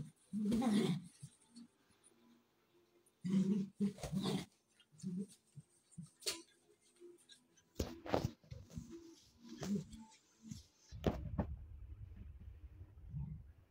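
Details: Pet puppies playing together, giving short harsh barks and yips in scattered bursts, separated by quieter gaps with scuffling and low grumbling sounds.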